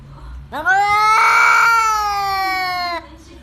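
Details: One sustained, rich-toned cat wail lasting about two and a half seconds, rising quickly, holding a steady pitch, then stopping abruptly; an unusual sound from a pet cat recorded close up indoors.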